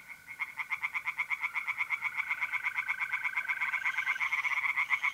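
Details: Night chorus of tree frogs in a pond, north-east Italy, mid-April: fast, regular pulsed croaking building in loudness, with the continuous high trill of mole crickets running beneath.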